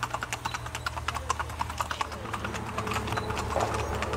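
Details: Colombian Paso Fino horse moving at its gait, hooves striking in a rapid clatter of short, sharp taps, rather uneven, over a low steady hum.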